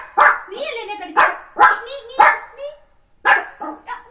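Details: Puppy at morning time, during eating and play, letting out short sharp barks about once a second, mixed with a person talking over it.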